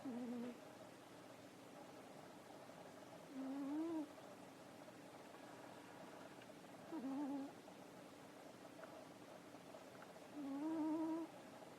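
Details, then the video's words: Snoring cat Nekoyanagi, dozing after its evening meal and play, gives four low whistling breaths, each rising slightly, roughly every three and a half seconds, against a faint constant room hiss. "猫柳のいびき - Nekoyanagi's snore"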